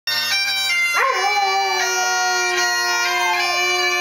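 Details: Luna, a Weimaraner, sings along to bagpipes: after a second of steady droning pipes, a long wavering howl rises, dips and holds level for over two seconds, then falls away beneath the continuing drones and chanter melody.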